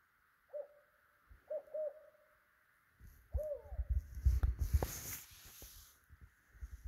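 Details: Male Pacific tree frog calling with inflated vocal sac near Redding, Mount Shasta region, Northern California: a few short, low, clipped croaks, some paired, with a rising hook, followed by rustling and handling noise.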